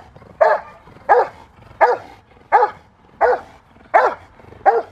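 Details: Female Rottweiler Freya vh Odom barking during protection training, November 21, 2021: seven evenly spaced, strong barks, roughly one every 0.7 seconds, with quiet gaps between.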